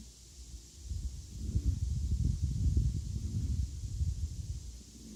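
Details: Appleboo, a Chihuahua, snoring: low, rough rumbling snores in uneven bursts, swelling louder through the middle and easing off at the end, over a faint steady hiss.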